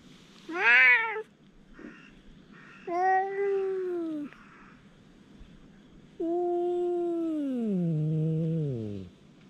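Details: Stray cats squaring off in a fight give rich harmonic yowls: a short sharp cry, then a sustained wail, then a long descending moan that drops into a low growl.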